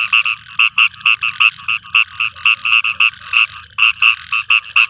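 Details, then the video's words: Rainy night in a field: a frog gives sharp, bright croaks, often doubled, in a fast uneven series over a faint low background murmur. "Frog singing rain song"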